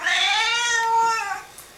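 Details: A Singapura cat objects to a person's sneeze with one long, clear, drawn-out meow, steady then gently falling, in a small indoor room right after the sneeze.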